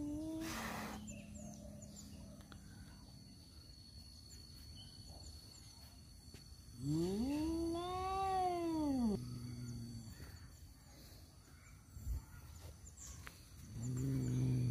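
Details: Domestic cats, males fighting over a female, give a long harmonic yowl that rises and falls over about two seconds, followed by a low growl and a brief hiss-like burst at the start, over low background rumble.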